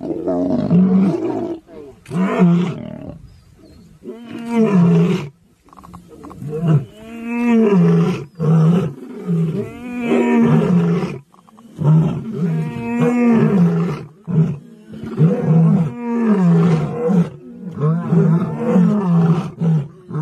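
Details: A big lion calling in a long series of deep, moaning roars, each swelling and fading over a few seconds with short pauses between, strong low rumbling throughout and a man exclaiming nearby.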